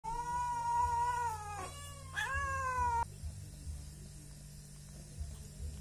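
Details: Three rural cats, angry at not yet being fed and asking for food; two loud, drawn-out harmonic meows, the second rising sharply then held, followed by a steady low hum.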